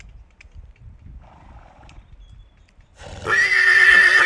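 A horse gives a loud, shrill whinny after a few quiet seconds with a faint earlier call.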